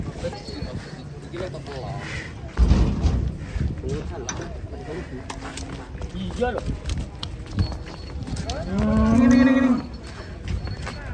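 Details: A fat cow gives a single drawn-out, low moo near the end, steady and slightly rising, after a stretch of rustling, knocking and background noise.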